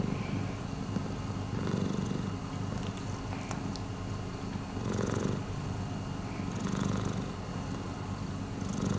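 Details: Deep, rhythmic purring from rescued cat Miiko, the rumble swelling roughly every two seconds with each breath, plus soft breathy rustles and a few light clicks.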